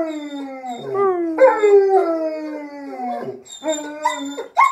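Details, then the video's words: A German Shepherd, asked to sing for its owner, howls in long, wavering tones that slide slowly downward. "Singing German Shepherd"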